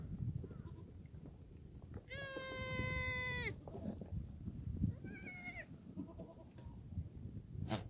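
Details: Sunny Sunday morning, 31 March 2019, on a black goat farm in Gimhae, South Korea, with goats in the exercise yard. One loud, drawn-out, quavering bleat lasts over a second. A shorter, fainter bleat follows, over rustling yard noise.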